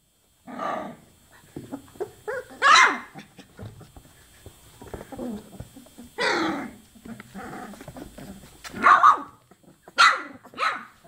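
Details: Chocolate Labrador Retriever puppies aged 24 days give repeated sharp yelps, about six of them, spaced irregularly, with quieter whiny murmurs in between.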